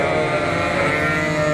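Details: A flock of hungry sheep in farm barns, September 5, 2022, bleats loudly at feeding time, many wavering voices overlapping.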